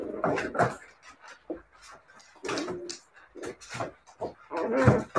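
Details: Siberian Husky puppies giving short whiny yelps and whimpers in irregular bursts, some louder and broader, with quiet gaps between, heard indoors.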